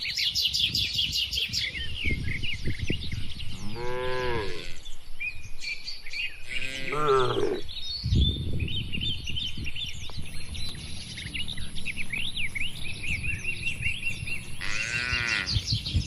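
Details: Dozens of tame, healthy, calm cattle in a farm pen give three drawn-out, deep, rich moos spaced across the recording, while small birds chirp and twitter steadily in the background.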